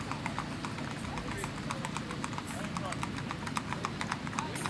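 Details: Tennessee Walking Horse stallion, strawberry roan, ridden by a young girl on a Texas ladies' trail ride in Macedonia; quick clip-clop footfalls under people's speech and a low background rumble.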